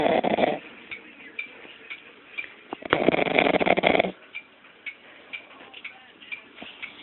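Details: Sleeping puppy snoring; two long, rough, raspy breaths near the start and around three to four seconds, followed by soft, short, regular puffing breaths, close-up indoors.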